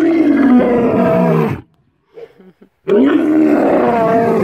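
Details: Lion at close range at Cheetah Experience, South Africa, giving two loud, deep, harmonic roars: the first lasts about a second and a half, then comes a short pause with soft breathing, then a second sustained roar.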